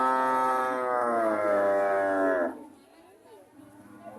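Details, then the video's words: Cow lowing: one long, loud, richly harmonic moo held steady for about two and a half seconds, then quiet rustling background. "Sound of cows"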